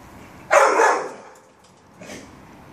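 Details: Dogo Argentino named Angel giving one loud, broad, rough bark, then after a short quiet gap a second, much fainter bark about a second and a half later.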